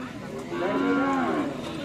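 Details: Cattle at a karapan sapi bull race gathering at the Asemanis field, Pamekasan: a single short, steady, tonal moo of about one second, heard over a noisy outdoor background.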